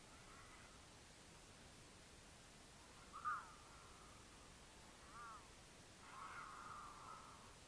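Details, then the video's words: Mountain lion caterwaul in Utah during courtship, a female in heat calling to attract a male, recorded by a camera on the pair's path; short strained wailing cries at about three and five seconds, then a longer drawn-out wail, over steady background hiss. "The Unforgettable Sound of a Mountain Lion Caterwaul"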